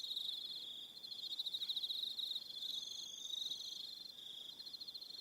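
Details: Crickets calling in the evening on Aroha Island, New Zealand, a steady shrill pulsed trill, rapidly repeated and swelling and fading in loudness, with a thinner, higher trill laid over it.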